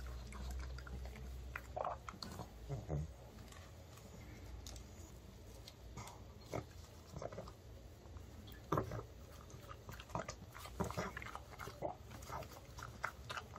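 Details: Male pug Ddungi, born September 2015, eating homemade dog-safe chicken of chicken breast, broccoli, paprika and rice-flour batter, baked as an early-summer treat, indoors. Irregular crunching and biting clicks with soft snuffling breaths, louder bursts scattered throughout.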